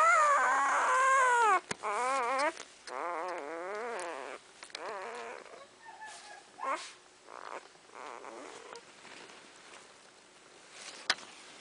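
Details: Champion-sired Dogo Argentino pups, newborn in December 2009, whimpering in a run of wavering, quavering squeals over the first few seconds, then quieter, broken whines and faint rustling as the litter settles.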